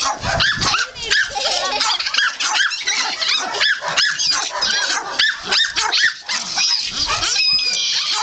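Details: A litter of puppies wrestling together, letting out a steady stream of shrill yaps, rising squeaky whines and short barks. The cries tumble over one another in a lively, noisy jumble.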